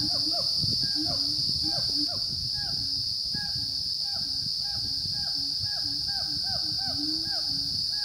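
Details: Siamang gibbons on Gunung Rajabasa, a dormant volcano in south Sumatra, recorded 5 June 2016 between 9 and 11 am at 900–1100 m. A fast, steady run of bent, swooping hoots over deeper drawn-out notes, with a loud insect whine behind.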